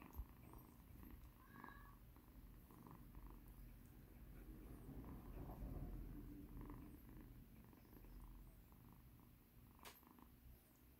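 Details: Kitten Mikan, a rescued cat once in poor condition, purring under massage; a steady, deep pulsing purr swelling in the middle, with light touches and a sharp click near the end.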